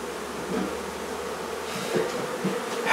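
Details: Honey bee hive relocated from a barn in La Feria, Texas, its bees filling the air with a constant low buzz, punctuated by soft knocks and a rising rustle at the end.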